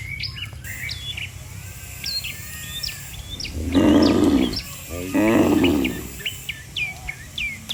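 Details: A herd of cattle lined up along a road, lowing as if calling the others home; two loud moos in quick succession midway, with frequent high bird chirps and tweets throughout.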